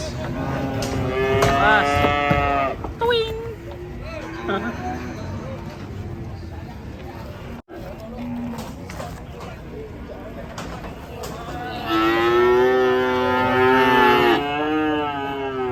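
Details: Raging cattle bellowing: a loud, harmonic moo lasting nearly three seconds at the start, a quieter stretch with faint voices and noise, then another long, wavering, strained bellow near the end.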